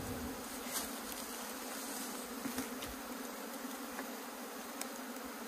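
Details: Honey bee colony from a collapsed, grass-choked hive in Puning, Guangdong, climbing onto a tree: continuous low droning hum, even in loudness, with faint rustles and clicks of handling on top.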